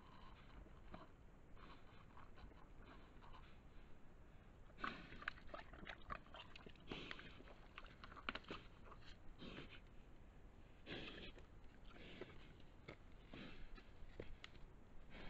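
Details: A large wild boar at night in Lunigiana, Italy, gives soft, breathy snorts and rough grunts in short, irregular bursts.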